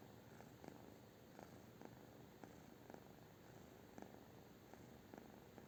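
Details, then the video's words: British Shorthair cat purring indoors, a steady low rumbling broken by soft breathy pulses roughly every half second, with a faint background hiss throughout. "britisch kurzhaar"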